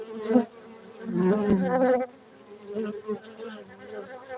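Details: Honey bees kept for honey in Bener Meriah, Aceh, Indonesia, give a loud low buzz that peaks for about a second, then drops to a softer intermittent drone with a single sharp tap.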